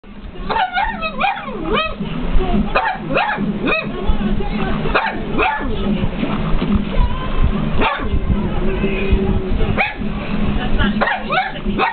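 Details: Pet pug barking at a television indoors: a rapid series of sharp, yelping barks, some rising and falling in pitch, clustered early and then repeated at intervals over a steady background of television music and sound.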